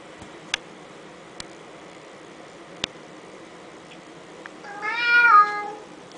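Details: Teddy the talking cat utters a single rich, slightly rising then falling meow near the end, after quiet room tone broken by a few sharp taps.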